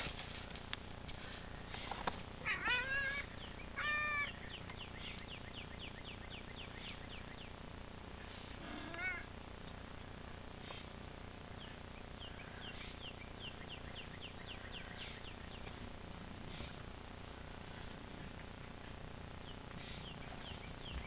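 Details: Pet cat indoors trying to play with an outside cat through a bedroom window; a burst of clear, harmonic meows early on, followed by runs of short, rapid chirping calls over a steady background hiss.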